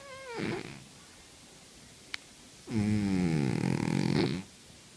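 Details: A domestic cat snoring in deep sleep. A short falling tone opens, a sharp click follows, then one long, buzzy, rumbling snore of nearly two seconds breaks off abruptly.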